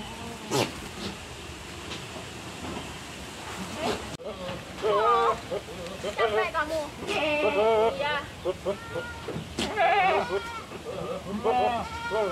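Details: Black-and-white spotted goat, kept before Qurban sacrifice and described as very fierce, giving quavering, wavering bleats in the second half, mixed with people talking nearby.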